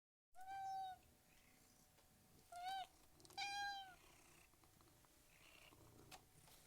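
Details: A domestic cat, one of three cats eating and purring, gives three clear, drawn-out meows with a slightly rising then falling tone.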